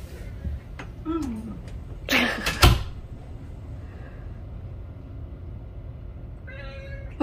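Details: Attention-seeking, clingy male pet cat: a brief falling mew early on, loud knocks and handling noises, then a drawn-out meow near the end, with people talking softly nearby.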